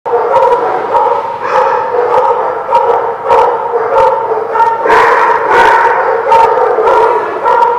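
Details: Dogs barking in a loud, dense chorus, with sharp bark bursts over a steady, ringing, howl-like tone that runs through the whole stretch.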